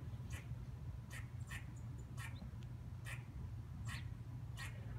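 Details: Dog-like barking from a squirrel sitting on a fence or branch: about eight short, rough chucks, unevenly spaced roughly every half second to second, over a low background hum.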